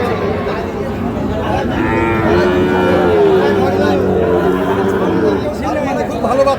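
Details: Sahiwal bull calves at Khochabari cattle market, Parbatipur, Dinajpur, on 10 April, a market held Fridays and Mondays: drawn-out, harmonic-rich lowing rising and falling over several seconds, backed by steady crowd chatter and voices.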